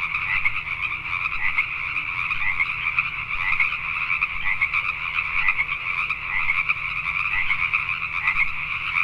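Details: Pacific tree frogs at night in Richmond, British Columbia, Canada, producing a thick, unceasing chorus of crackling two-part croaks, individual calls briefly standing out above the steady mass of voices.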